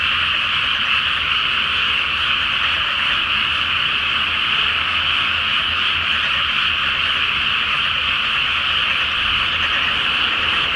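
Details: Frogs croaking en masse on a moonlit night in a Japanese rice paddy flooded before planting; the calls merge into a continuous, buzzing trilled chorus that never drops, with only a faint low-pitched background rumble.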